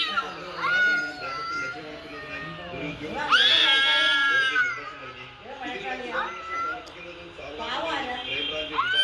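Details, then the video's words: Mature cat reacting to cat sounds played on a mobile phone, such as kittens meowing and cats fighting: overlapping harmonic meows, some rising then falling, with a long bright wailing cry near the middle. "Cat reacting to cats sounds played on mobile phone. (Kittens meowing, cats fighting etc)"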